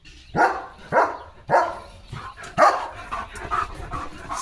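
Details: German Shepherd named Leo, a pet dog filmed at home with a puppy nearby, giving a run of loud, deep barks about every half second, then several softer barks trailing off, with faint background rustling.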